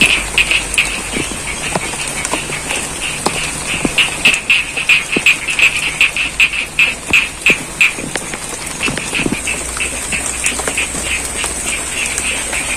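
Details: Frogs in a rice field at Cangkring, Pacitan, East Java call during rain, a quickening string of crisp croaks building to a dense burst then thinning out, set against rain noise and a thin high hiss.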